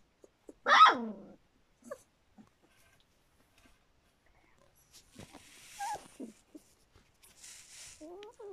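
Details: A litter of Standard Poodle pups just over three weeks old gives one loud squealing yelp, then sparse thin whines and small squeaks amid quiet shuffling.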